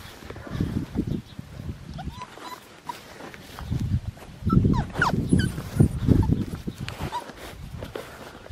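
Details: Australian Shepherd puppy from a litter at Fifteen Acre Farms, learning to use the doggie door and go outside; short high squeaky whines and yips come in scattered bursts among low thumping handling noise and a woman's soft voice.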